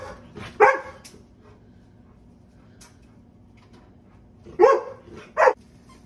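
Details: Baymax, a Golden Retriever, gets excited indoors over a new squeaky toy: one short, sharp bark, a pause of several seconds, then two more quick barks close together, with faint room noise between them.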